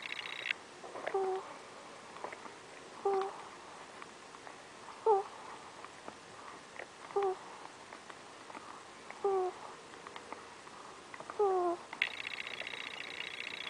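A sleeping ferret breathes with soft, squeaky little whistles, one roughly every two seconds.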